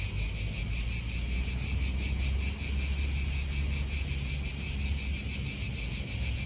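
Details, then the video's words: Cicadas calling in an Italian park: an unbroken, sizzling high drone with slow rhythmic pulsing, backed by soft wind and faint traffic hum. "italian park ASMR Cicadas wind real atmosphere in an Italian park birds"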